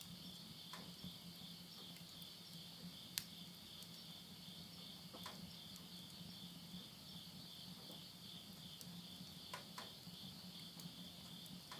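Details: Midnight insect chorus in Yurihama, Tottori, Japan, at summer's end in September 2020: a constant high metallic trill over a low pulsing hum, broken by scattered crackles from a wood fire in a stove.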